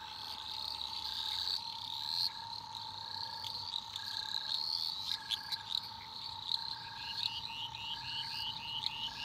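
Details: Eastern dwarf green tree frogs calling at night in Australian rainforest: a dense, high-pitched chorus of rising creaky trills and rapid pips, over a steady ringing background tone and short, evenly spaced beeping notes.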